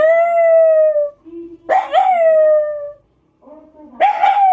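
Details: Black Shiba Inu house dog howling in reaction to a scrap-collection truck going past: a sustained tone that tails off, a soft whine, then a second howl with a rising, wavering onset that settles and fades, and a third starting after a short gap.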